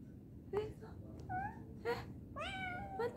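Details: A cat, afraid to climb down after going up, meows repeatedly in short, tonal, slightly rising and falling cries spread across about three seconds, with a person's surprised voice nearby indoors.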